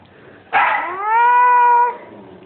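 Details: Shih Tzu puppy among a litter makes one drawn-out whine: a sharp, bright onset, then a steady level tone held for over a second before it cuts off, in a quiet indoor setting.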